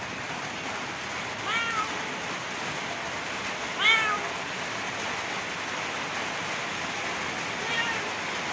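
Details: Stray cat with severe scabies, met while feeding stray cats; two short, thin, slightly falling meows near the start and middle, a fainter third at the end, all over a steady broadband hiss.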